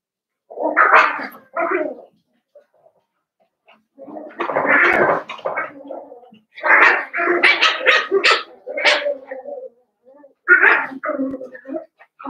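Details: A litter of five blenheim Cavalier King Charles Spaniel puppies in an indoor puppy pen, born around New Year's; clusters of high yips and squeaky barks come in bursts separated by short pauses.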